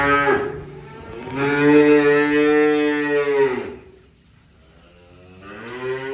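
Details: Cattle mooing during unloading: a brief call at the start, then a long, steady, strongly harmonic moo lasting over two seconds that drops off at the end, a quiet gap, and another moo beginning.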